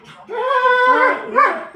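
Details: Indoors, a German Shepherd cries because the mother of the house has gone out and it wants to go too. It gives a drawn-out, wavering, tonal whine that dips and rises again, with a person speaking nearby.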